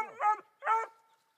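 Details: Three-month-old female Black and Tan Coonhound puppy, Dazey, barking at a raccoon in a tree, the first she had ever seen; two short, harmonic, yelping barks about half a second apart.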